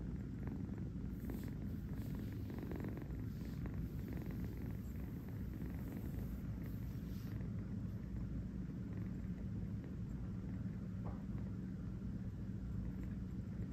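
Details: Napping kitten on a fuzzy bed in a New York home purrs steadily, a deep, even, rattling hum that holds unbroken for the whole stretch.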